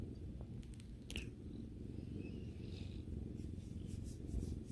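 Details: Domestic cat purring while relaxing with its owner indoors; a steady low rumbling purr with a fast pulsing texture runs throughout, with a few faint clicks and light rustling above it.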